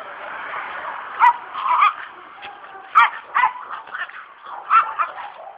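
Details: Presa Canario, a protection dog, in attack training: harsh, gruff barks arrive in three irregular clusters, each a quick double or triple burst, over a steady muffled background hum.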